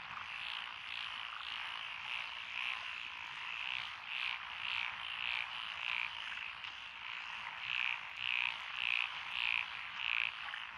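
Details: Frogs calling at night along a country road through lotus rice paddies in Echizen, Fukui, Japan, recorded 12 June 2021; a dense frog chorus with a loud caller repeating short rasping croaks about twice a second over a steady buzzing background.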